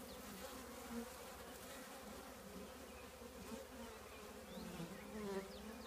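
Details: Continuous droning of a honey bee colony in an old trash can, even harmonic hum with faint passing buzzes of individual bees rising and falling.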